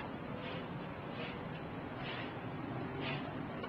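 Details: Low rumbling broadband noise like wind or a distant engine, with faint soft bursts about every 0.8 seconds and no clear animal voice.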